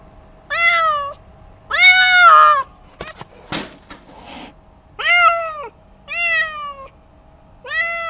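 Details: Angry domestic cat giving loud, harsh, drawn-out wails, five cries of about half a second to a second each, spaced roughly a second apart, with a few clicks and a brief rustle between them indoors.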